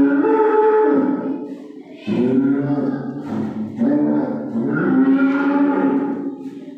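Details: Calf crying out on the eve of Eid al-Adha: three long harmonic moos in a row, each bellowed and wavering, separated by short breaths.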